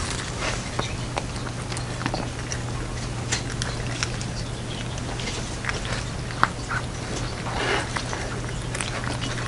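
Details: Pet cat Jeongsaek, dressed in hanbok, eats a Lunar New Year 'cat dumpling soup' indoors: soft, irregular wet clicks and smacks of chewing scattered through the clip over a steady low electrical hum.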